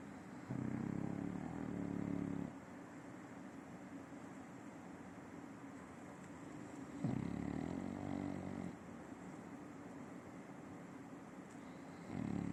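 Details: Simão, an adopted nine-year-old French Bulldog, snores while asleep: low, rasping, droning breaths lasting about two seconds each, recurring roughly every five to six seconds, with quiet pauses between them.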